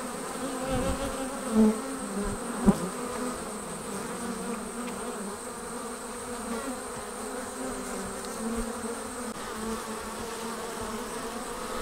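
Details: Swarming honey bees leaving the hive fill the air with a continuous droning hum, layered harmonics holding steady, with a couple of brief soft knocks near the start.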